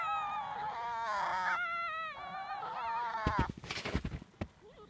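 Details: Fox at Zao Fox Village, Japan, in winter, during a fight: one sustained wavering wail lasting about three seconds, followed by sharp clattering knocks and scuffling noises.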